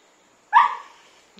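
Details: Three half-Labrador mixed-breed siblings, small, medium and large, playing together; one sharp, bright bark bursts out after half a second of quiet, then fades, with a faint thump near the end.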